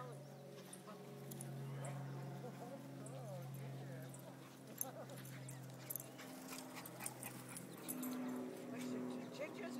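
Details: Emmy and Ginger, a terrier and a shih tzu, tussle together in a play fight. Deep, continuous rumbling growls run throughout, with people talking and cheering over them.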